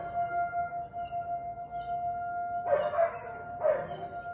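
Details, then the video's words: Siberian Husky barking on the afternoon of 13 March 2021, 4:17 pm: two rough barks about a second apart late in the recording, with a constant ringing tone underneath. "Husky barking"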